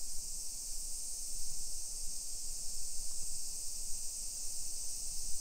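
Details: Summer cicadas drone steadily over a modern hillside residential neighborhood in Nisshin city near Nagoya, Aichi, Japan, at 1 PM on July 28, 2021. A continuous high, hissing buzz sits under low rumbling from wind and walking.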